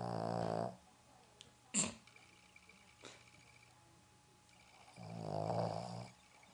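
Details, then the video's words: Roxy the Boston Terrier snoring while asleep indoors in Dallas: a rasping snore at the start, a sharp click and a soft tap, then another drawn-out snore about five seconds later. "Snoring Dog"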